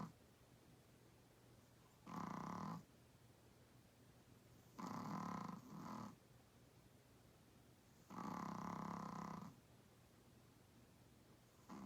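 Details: Small 8 lb Chihuahua-Pug mix dog snoring loudly while asleep indoors: three harsh, rasping breaths, about a second or more each and spaced a few seconds apart, with quiet pauses between.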